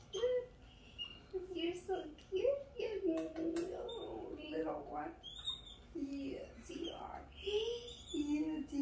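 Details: Pet capuchin MonkeyHappy, with his friend Martha, gives a run of wavering, squeaky, moaning calls that rise and fall, some overlapping, with faint music and people talking in a small room.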